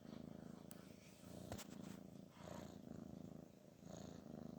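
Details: Garfield the pet cat snoring, a sound of relaxation and pleasure: a steady low rumbling purr-like drone that swells and eases with each breath, about every second, with a few faint clicks over it.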